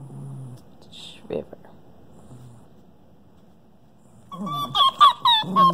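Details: Pet Arctic fox talking to a companion animal: after a few seconds of near quiet and a brief low human voice, a burst of four or five harsh, honking, goose-like calls comes in quick succession.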